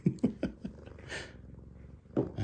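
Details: Svetlana, a blind pet cat, perched at the top of the stairs calling to her owner: a quick run of short, low, throaty chirping pulses, a breathy pause, then two more chirps at the end.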